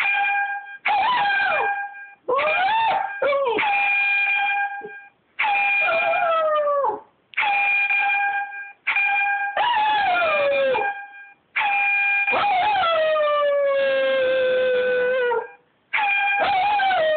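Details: Pet dog howling along to an air horn app: repeated long howls that swoop up then slide slowly downward, overlapping steady, flat, buzzy horn blasts that start and stop every second or two.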